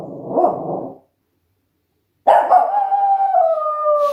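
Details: Rough, muffled yelp from a West Highland White Terrier, silence, then a long sustained howl, bright and tonal, holding steady with a gentle downward drift.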